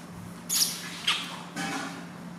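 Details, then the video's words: Newborn baby monkey crying very loudly during its first bath given by its new mother: two sharp, shrill squeals about half a second apart, then a longer, softer wavering cry, over a steady low hum. "First Bath [Cry Very Loud] Newborn Baby Monkey"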